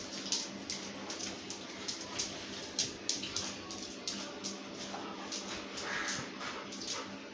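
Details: Pet Labrador Retriever named Toddy panting: soft, breathy, hissing puffs repeated about two to three times a second, fairly steady throughout, over a low background hum.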